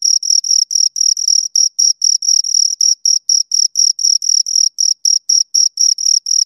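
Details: Close recording of two chirping crickets, bright high-pitched pulses about four per second, crisp and loud, nothing else audible.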